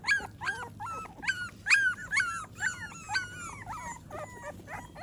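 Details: Several pet American Pit Bull Terrier puppies during their morning routine after breakfast, whining insistently: dense, fast strings of short arched whimpers with bright upper overtones, some sliding down in pitch, crowding together with almost no pauses.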